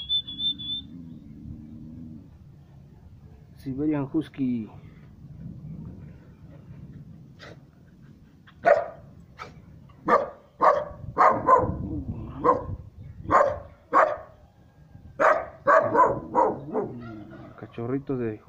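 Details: Three-month-old Siberian Husky puppy barking at someone it does not know. A voice calls it over first, then sharp, punchy barks arrive in quick irregular bursts through the second half.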